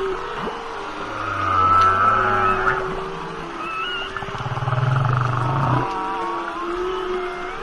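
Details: Humpback whale song: long low moans and groaning tones, some sliding upward, with higher wavering whistles and squeals above, rising and fading in slow phrases.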